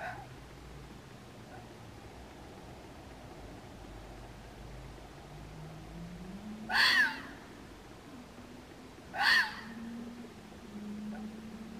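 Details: Red fox in Waterloo, Belgium, giving two sharp, rasping cries about two and a half seconds apart after a long quiet stretch, with a low rumble of distant noise underneath.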